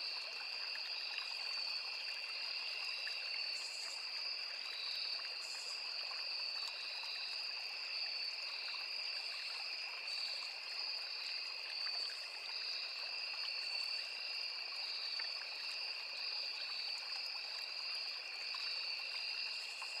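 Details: Crickets calling alongside cicadas and other insects in a forest beside a small river: a dense, unbroken high-pitched trilling chorus holding two steady shrill tones throughout, with a soft trickling stream underneath.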